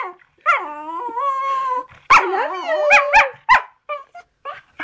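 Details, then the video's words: Pet poodle "talking" back to its owner indoors: a long wavering whine, then a burst of short bending yips and barks with choppy breaks, fading into small whimpers. "Conversation with Zeus... My Poodle"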